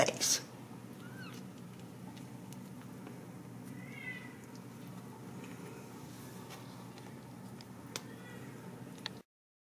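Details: Ragdoll kittens raised uncaged in a home cattery in central Kansas give a few short, soft mews with a rise-and-fall shape near the start, middle and end, over a steady indoor hum after a brief clatter at the opening.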